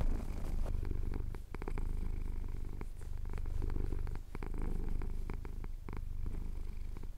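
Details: Cotswolds sunrise recording of a male pet cat purring as his chin is scratched, made with a Tascam DR-07X. Strong deep rhythmic purr, swelling and dipping roughly every second or two, light crackles over it.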